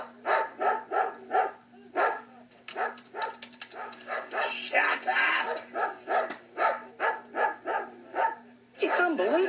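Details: Female pet dog in a residential street in Australia, barking constantly because she misses her owner and upsetting the neighbours. Rapid, regular barks come about two to three per second in a steady run, with a low electrical hum underneath.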